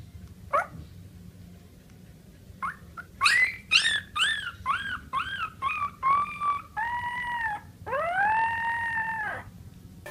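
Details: Siberian Husky puppy giving a run of short rising-falling yelping howls, about ten in quick succession, ending in two longer arched howls, over a low background hum.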